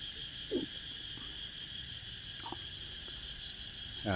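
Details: At dusk, many cicadas chorus from the many trees in front of a house, not in forest or garden, in Mukdahan, Thailand: a steady, high-pitched, shimmering drone with brief snatches of a man's voice.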